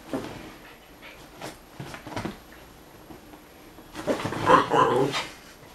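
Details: Male puppy playing with a female canine friend: a few soft, scattered sounds, then a louder burst of short harmonic barks and whines over about a second and a half.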